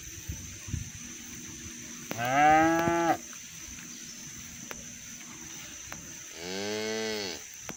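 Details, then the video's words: Cows roaming the fields while being herded toward the barn, calling their friends to come home: two separate moos with rich harmonics, the first about a second long and the second a little shorter, with a quiet pause between them and a faint steady high whine. "Bunyi sapi lucu"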